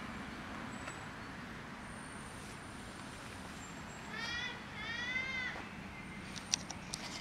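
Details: Cat sitting in the middle of a street gives two short high-pitched meows, each with a bright arched tone, over steady outdoor traffic hum and a faint click near the end.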